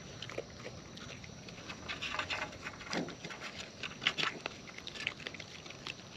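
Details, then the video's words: Close-up of wild raccoons feeding: dense, crackly chewing and crunching with quick bursts of bright clicks, busiest in the second half, against a low steady hiss. "Wild Raccoons & ASMR Chewing Sounds"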